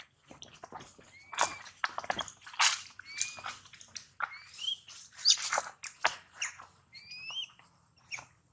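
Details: Shrill cries of the baby monkey Daniela, separated from mother Dana and calling for help; rapid overlapping squeals and short upward-sweeping whistles, with loud harsh screeches repeating about once a second.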